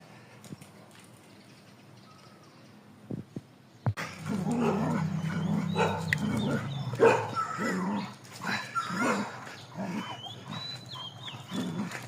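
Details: On a morning walk through Thai streets with packs of street dogs, a quiet start gives way to dogs breaking into a rough run of low barks and growling whines.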